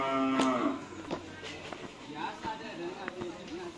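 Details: Bull race (karapan sapi) training cattle at the Asemanis field, Pamekasan: a short, loud, harmonic moo opens, followed by crowd noise, clatter and faint music.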